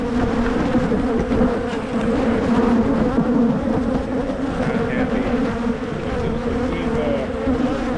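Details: Hive of honey bees in Michigan buzzing loudly while being divided into splits to prevent swarming; a thick, constant hum with strong low bands and faint handling sounds.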